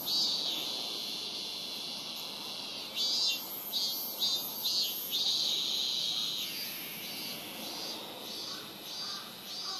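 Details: Robust cicada (minmin-zemi) recorded at Rokugo Shrine, Ota Ward, Tokyo, with a Sony PCM-M10 in a year when cicadas began calling around July 20. A dense, high, continuous buzzing runs throughout, with a louder pulsing, throbbing phrase from about three to six and a half seconds.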